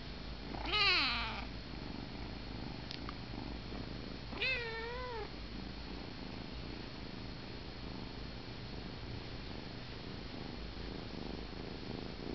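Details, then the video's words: A kitten whining himself to sleep while held in someone's arms gives two drawn-out, wavering whiny meows a few seconds apart, then falls quiet over a steady low background hum. "Sleepy whiny kitty"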